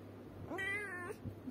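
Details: A pet cat utters a single meow that rises quickly, holds level for about half a second and ends with a slight upturn. The setting is quiet apart from a faint steady background hum.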